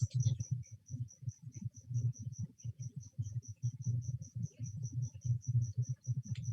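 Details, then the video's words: Crickets sing steady, high, pulsed chirps, about five per second, in a pet leopard gecko tank, beneath people talking. "there are crickets singing right now in my leopard gecko tank"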